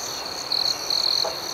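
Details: Brief moment of night crickets: an even, piercing high trill with two short, louder pulses of chirping close together.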